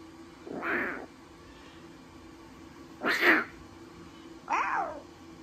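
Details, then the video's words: At Taigan, a pair of newborn lion cubs, brother and sister, utter three short squealing mews, the last two close together and downward-sliding, with a faint continuous hum beneath. "Новорождённые львята - разговорчивое чудо!"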